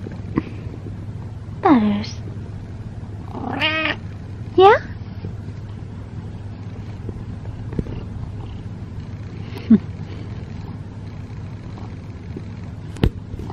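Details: Butters, a male pet cat, talks while being brushed: several short, bending meows at irregular gaps. His owner calls his name between calls, and a faint low hum runs underneath.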